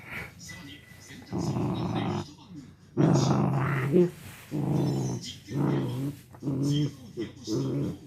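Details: Four-year-old male miniature dachshund angered as its owner tries to take away its chew toy; rough low growls in repeated bursts with brief breaks, some higher snarling edges and faint voices underneath.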